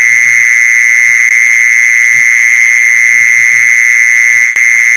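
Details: Continuous mole cricket trill meant for luring mole crickets, an even, droning high buzz without pauses; a faint click near the end and low soft taps underneath.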